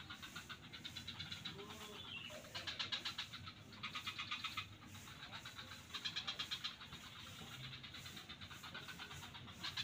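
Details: Several frogs in swamps at Kuta beach, Bali, trade bursts of rapid, rattling pulsed calls, five bouts within ten seconds, backed by a continuous low hum.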